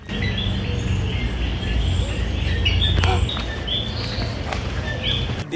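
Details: Coqui frogs call from forest along a hiking trail at Palmas del Mar, southeast Puerto Rico, with short, high, whistled notes over a steady low rumble; Common coqui.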